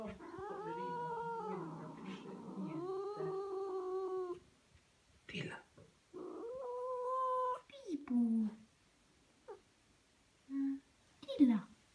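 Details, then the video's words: Pet cat indoors, said to act weird, hissing and 'talking': long wavering yowls with rich harmonics, bending pitch, then short breathy hiss-like bursts and brief squeaks separated by silences; a person murmurs once. "psychotic cat hisses, talks"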